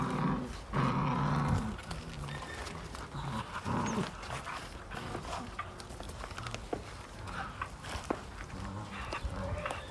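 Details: Belgian Malinois puppies, fifty days old, struggle together over a single toy, giving a deep rumbling growl for the first second and a half, then scuffling, thumps and softer low grumbles as the tussle goes on.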